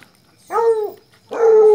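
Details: A Colombian Fino Hound giving two loud, drawn-out baying cries, each with clear harmonics, the first falling away after half a second and the second held steady.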